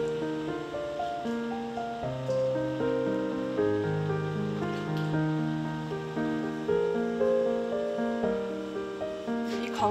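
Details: Instrumental music plays throughout with steady melodic notes and no animal voice.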